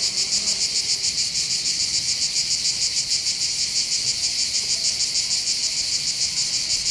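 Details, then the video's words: Cicada chorus in the hills over Bandol harbour in the Var, southern France, on the Mediterranean coast: a continuous shrill, sizzling drone pulsing in quick regular beats, roughly three per second, without a break. "accompagné par le champ des cigales"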